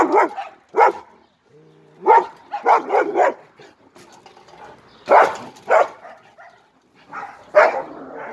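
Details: German Shepherd dog barking: about eight loud, deep barks in irregular bursts, some paired close together, separated by short quiet gaps with faint background murmurs.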